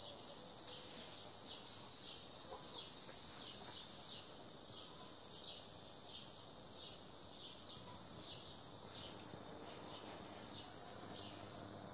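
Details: A cicada in a yard in Amara, Ialomița, Romania, on 26 June 2020 gives a deafening, roughly 90-decibel, steady, high-pitched buzzing drone without a break; it was first mistaken for a bird.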